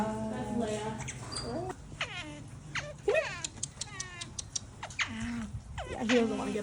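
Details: Otters making heart-melting squeaky calls: a run of harmonic whistled squeals that sweep sharply downward and rise again, several overlapping cries between one and seven seconds, with a steady low hum and faint background music.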